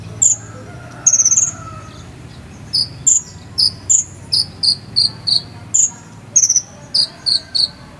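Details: Cricket chirping meant for tutoring a konin bird: a short buzzy burst, then a regular series of crisp high chirps roughly every half second, shifting between two close pitches, with a soft low rumble beneath.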